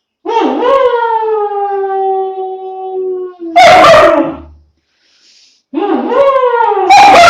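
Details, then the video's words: Howl of a 2-month-old long-coat German Shepherd puppy, a rising then steady, slightly falling tonal wail lasting about three seconds, repeated after a pause, with loud, rough broadband bursts between the howls. "How to make 2 months old German Shepherd puppy Howling"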